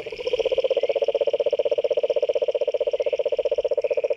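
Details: A toad's continuous, rapidly pulsed trill, a low, even, rattling buzz that runs without a break, with a faint higher whining tone layered above it.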